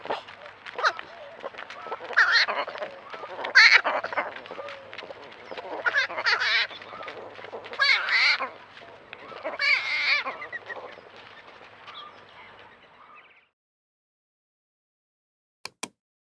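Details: Young javelinas giving cute noises, a string of harsh, nasal honking squeals repeated irregularly for about thirteen seconds, followed by silence and two sharp clicks.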